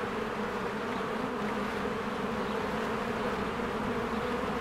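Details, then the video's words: Honeybees swarming at their hive in spring, producing an even, dense buzz of countless wingbeats that holds steady without pause. "1 Hour of a Beehive ASMR"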